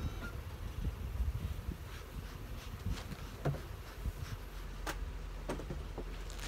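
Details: Cranky honey bees buzz under heavy wildfire smoke in western Canada on July 20, 2021, a dense low rumbling hum that swells and fades unevenly, broken by a few faint higher clicks and brief sharp ticks.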